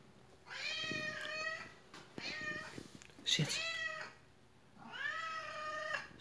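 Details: Pet cat indoors that obeys commands: three long harmonic meows, each close to a second, with faint clicks and handling noise between them.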